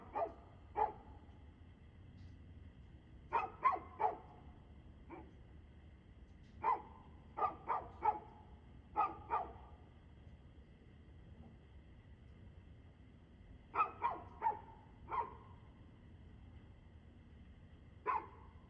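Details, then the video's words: Dog heard barking at 6:02 pm on 2/6/2024: short sharp barks in scattered groups of two to four, spread over nearly twenty seconds with quiet pauses between volleys. "Barking Dog"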